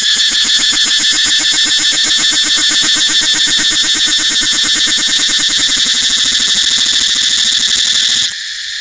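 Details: Cicada giving a loud, continuous shrill buzz, high and harsh, built from rapid pulses that hold steady at full strength for about eight seconds before cutting off abruptly, leaving only a faint hum.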